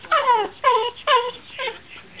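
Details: Whippet begging for a taste of veggie dip, answering a request to sing with four short descending whines, each sliding from high to lower pitch, separated by brief pauses.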